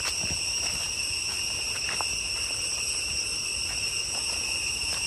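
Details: Jungle cicada chorus near Chhay Yong Waterfall in Cambodia's Areng area, Koh Kong Province: a continuous piercing whine, level and unwavering, layered in bright high bands, with soft scattered taps and forest rustle underneath.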